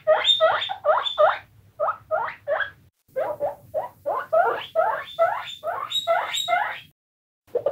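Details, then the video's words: Squeaking guinea pigs give bursts of sharp rising-and-falling squeals in short clusters separated by brief gaps, with a longer pause near the end before one final squeak; a low hum sits in the background. "squeaking guinea pigs"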